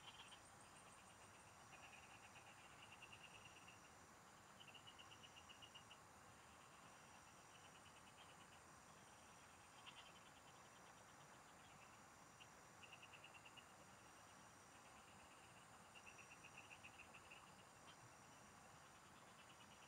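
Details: Rural field chorus of frogs, recorded while angling: scattered pulsed trills of a few seconds recur throughout, blended with a continuous high-pitched insect buzz and steady broadband noise.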